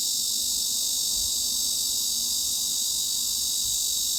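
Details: A cicada's steady, high-pitched hissing drone, around 3–4 kHz, runs unbroken through the whole stretch, used as a tinnitus masking sound.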